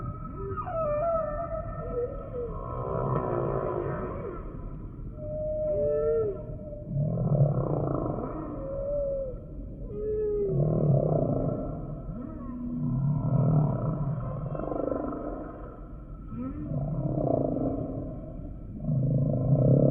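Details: Humpback whale singing: a rich sequence of swooping tonal cries, upsweeps and downsweeps mixed with pulsed low groans, recurring in phrases every few seconds over a constant ocean hiss.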